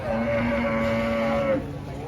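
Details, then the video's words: Angry cow coming down from a truck: one steady, level, drawn-out moo of about one and a half seconds that stops abruptly, over a low background hum. "SAPI LUCU NGAMUK TURUN DARI TRUK TERNYATA BEGINI SUARA SAPI MARAH"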